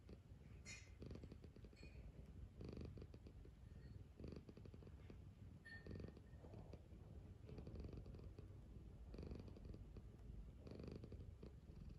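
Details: Purring cat stirring awake for breakfast, its low vibrating drone running unbroken throughout in rhythmic inhale-exhale surges, with a few faint higher clicks early on.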